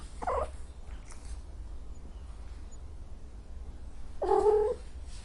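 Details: Angry domestic cat: a brief, low, strained cry early on and a harsher, louder yowl of about half a second near the end, over a steady low hum.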